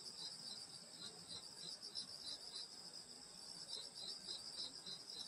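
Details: Summer night insect chorus in the countryside near a grandmother's home: dense high-pitched continuous trilling with quick regular pulsing chirps repeated several times a second, several singers layered together, soft background hiss.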